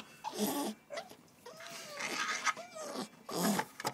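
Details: Coco-T, a puppy put outside after a toilet accident, crying with thin wavering whines that rise and bend, broken by breathy scuffling and room noise between cries.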